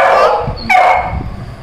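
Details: Little Labrador Retriever puppy searching for food: two loud, short, harmonic barks or yips, the second sharper with a falling tail, against indoor room noise, with speech following.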